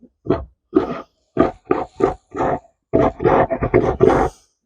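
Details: A happy, contented Tamworth sow gives a run of short, deep grunts, some grouped into quick bursts; the owner suspects she is pregnant.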